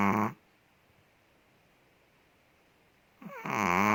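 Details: Asleep indoors, Ted the big Chihuahua from Indonesia ends one snore, stays quiet for about three seconds, then draws a rising, rasping snoring breath.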